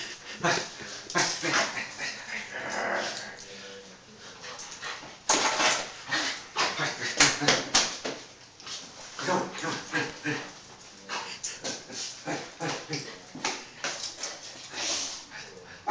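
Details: A Yorkshire terrier gives rapid, high, excited yips and whines in greeting as a family member comes home from work, with a person talking.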